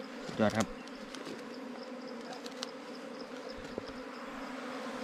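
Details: A constant low bee drone at a wild honey harvest, opening with a short loud vocal exclamation and then settling into the steady hum with faint rustling.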